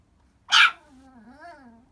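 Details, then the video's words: A Chihuahua cries with one sharp, loud yip followed by a long, low, wavering whimper that rises and falls. "Chihuahua so cute cry baby"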